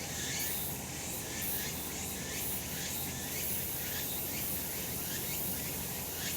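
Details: Cicadas in the sun on a summer mountain in Japan: shrill continuous buzzing with regular pulsing bursts early on, then a smoother high hiss, over low outdoor background noise.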